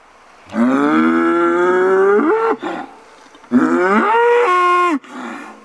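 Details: Bull in an autumn paddock near Großensee, Germany, bellowing twice: each a long, loud, harmonic moo held steady, then climbing sharply in pitch before breaking off, with a brief pause between the two calls.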